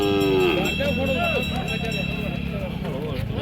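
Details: Cattle at a bullock market in Kashti: one short, low, drawn-out moo with stacked harmonics opens the clip, then fades under a busy crowd murmur and men bargaining loudly nearby.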